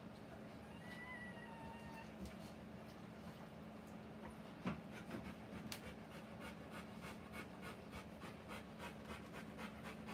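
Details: Rottweiler female panting while giving birth to puppies: soft, rapid, rhythmic breaths, roughly three per second, clearest in the second half, over a steady low hum, with a few faint thin squeaks near the start.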